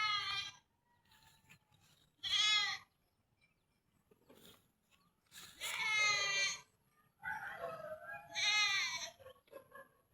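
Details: At feeding time, goats give loud quavering bleats, four or five strong calls spaced a second or two apart, some trailing into a lower wavering tone, over a quiet background.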